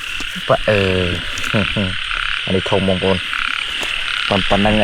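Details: Rice-field frogs in Cambodia, heard while villagers search for them: repeated pulsed, nasal croaks in short trains, some quick doubled calls, set against continuous high-pitched insect chorus.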